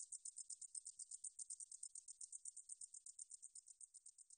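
A meadow katydid gives a high, dry buzzing stridulation broken into rapid, even pulses.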